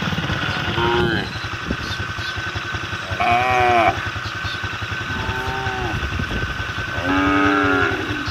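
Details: Cattle on the road calling their herd: four moos in eight seconds, the second and fourth louder and richer, heard over a low, rhythmic motorcycle engine.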